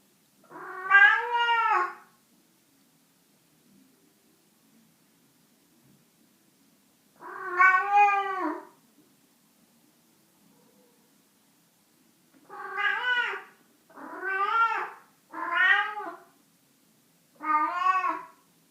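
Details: Cat meowing six times indoors: long, nasal, rising-then-falling cries, each about a second long, with gaps of several seconds at first, then quicker in a close run of four.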